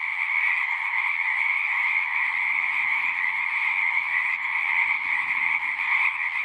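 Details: Chorus of frogs at a horse-pasture pond, Zoom 6 recording: constant dense trilling in two stacked bands, with faint low rumbling underneath toward the middle and end.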